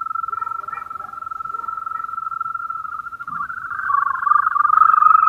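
A European green toad holds a continuous, even trill at a mid pitch, a soft purring sound much like a cricket's. Toward the end the trill grows louder and slightly rougher, with faint background noise underneath.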